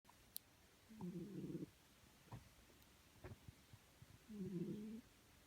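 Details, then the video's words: Domestic cat asleep, snoring: two low, rough, droning breaths about three seconds apart, each lasting under a second, with faint clicks and rustles between them in a quiet room. "My snoring cat"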